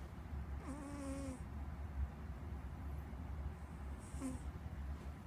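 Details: Squeak, a domestic cat, snoring: one long whistling, airy breath, then a shorter one some three seconds later, with a steady low drone behind.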